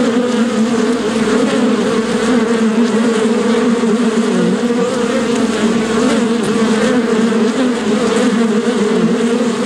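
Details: Bees produce an unbroken buzzing drone, several hum tones stacked and slightly wobbling in pitch, loudness steady from start to end.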